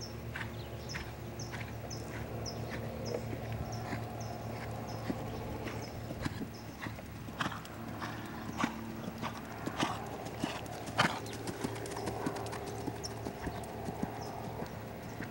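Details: Lavrador, a Lusitano stallion, moving with sparse hoof clops at first, then busier, louder strikes after midway. High bird chirps repeat regularly through the opening seconds over a low rumbling background.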